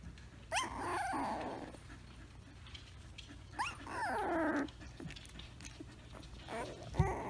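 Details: Samoyed puppy making an often-heard noise: three bursts of rising, whiny yelps that slide into low, grumbling growl-like moans, at about the start, middle and end, over a steady low hum.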